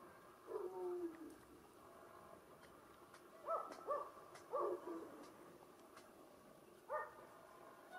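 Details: Brown Bengal cat with glitter coat at a cattery in Mallorca, Spain, giving a short drawn-out meow, then three quick harmonic mews in a row and a final brief one, with a quiet indoor background.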